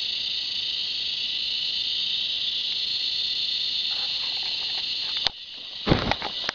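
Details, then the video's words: Cicada alongside a red bull ant, steady high shrill drone that cuts off abruptly near the end, followed by scattered clicks and rustling bursts. "Red Bull Ant with Cicada sound"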